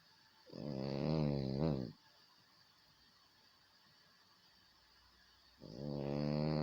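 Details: Snoring French Bulldog: a rough, rattling inhaled snore lasting over a second, then a long quiet gap before the next low, harmonic snore begins.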